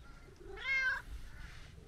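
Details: Talkative brown tabby-and-white stray cat, affectionate and greeted on a New Year visit during an outdoor walk, gives one clear harmonic meow that rises then falls, lasting about half a second, over quiet low background rumble.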